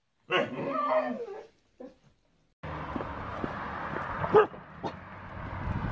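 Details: Siberian Husky 'talking': a drawn-out, wavering whine-howl of about one second with strong harmonics, a brief second yelp after a pause, then a stretch of noisy indoor background with scattered clicks and knocks.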